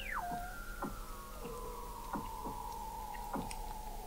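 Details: Weddell seals under thick Antarctic sea ice in McMurdo Sound, November 2017, captured 21 m below the ice at the McMurdo Oceanographic Observatory: a steep falling chirp opens, then a sustained steady whistle runs throughout while short descending chirps repeat roughly every second.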